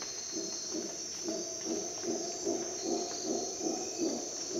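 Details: Somewhat distant howler monkey at dawn in a Costa Rican jungle: low, breathy grunts repeating roughly twice a second under a strong, shrill insect chorus.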